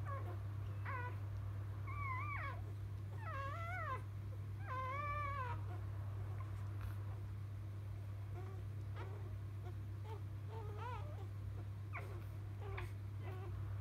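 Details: Just-delivered field Labrador Retriever puppies from biscuit cry in wavering, drawn-out squeals early on, then give sparser, fainter squeaks later, all above a persistent low droning hum.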